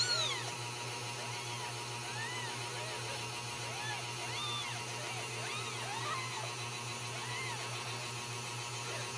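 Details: Several Ragdoll kittens, home-raised at a central Kansas cattery, mewing in overlapping thin arched calls throughout, some higher and squeakier, above a steady low hum.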